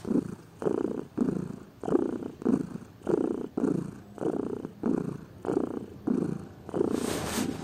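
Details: Purring from a lazy house cat: deep, grainy rumbles rising and falling with each breath, roughly one cycle per second, ending with a faint hiss of noise.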